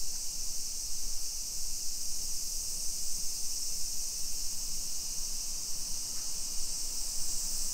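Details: Cicada chorus on a summer afternoon, 2 PM, 28 July 2021, in suburban Nisshin, Aichi, Japan, heard while walking the streets: an unbroken shrill buzzing wash holding level throughout, with soft low background noise.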